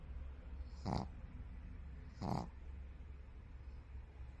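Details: A white pug asleep and snoring: two short, raspy, breathy snorts about one and a half seconds apart, then quiet breathing over a low droning hum.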